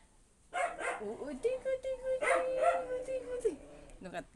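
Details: Siberian Husky arguing: a drawn-out, steady mid-pitched howl held for about two seconds, bending down at the end, with short yelping notes before it and voices mixed in.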